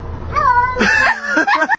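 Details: Pet cat that seems stuck somewhere gives a short, clear tonal meow that dips slightly, followed by a burst of noisier, wavering cat-like vocalizing and a woman's voice nearby.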